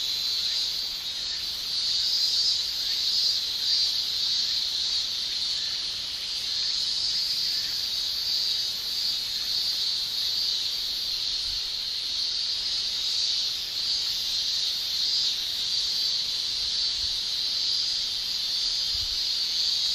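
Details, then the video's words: Male Japanese cicadas shrilling in a Japanese summer, their tymbal song forming a steady, unbroken high-pitched buzz with slow swells in intensity across the whole stretch. "Japan Summer Cicada Shrilling"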